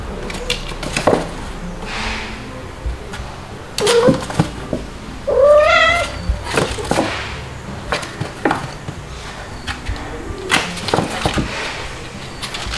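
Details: Two-month-old white kitten Stuart, a frequent crier nursed by calico mother Mel and a second mother, Pepper, in July 2022, gives a brief squeak and then a longer rising, harmonic meow, with clicks and rustles in a small room.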